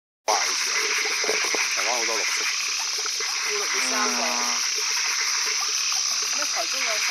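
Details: Black-webbed tree frog (Rhacophorus kio) in Chiang Mai giving short, nasal croaking notes against a loud, steady buzz of insects.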